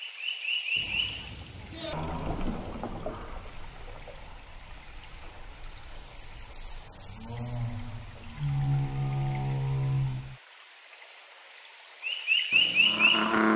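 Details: An American bullfrog in Nova Scotia gives a deep, droning call, with bright electronic chirps before and after.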